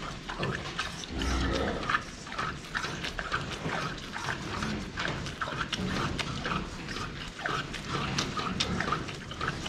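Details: Pigs at the drinking spot, filmed from the front while they drink water: low, short grunts come in loose bursts amid constant clicking and slurping noises from the drinking.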